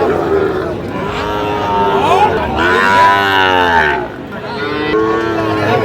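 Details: Cattle at a market in Kushtia, Bangladesh, where Sahiwal bulls are traded on 5 August 2025: a long, drawn-out harmonic moo swelling for about three seconds, with a crowd of buyers chattering and bargaining close by.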